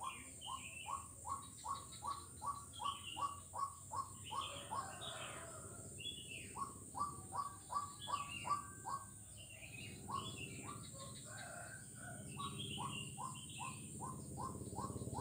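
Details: Frog on Jalan Kolonel Sugiono, Kuala Kapuas, Central Kalimantan, recorded 4 November 2021, repeating short upslurred notes in fast regular runs with a brief gap midway, accompanied by higher chirps and a continuous high hiss.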